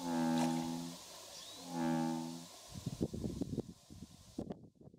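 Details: Two male American bullfrogs (Lithobates catesbeianus) in a territorial dispute at Kubokawa Ihatov, Japan, on 17 June 2016, giving two deep, droning, cow-like calls, each about a second long.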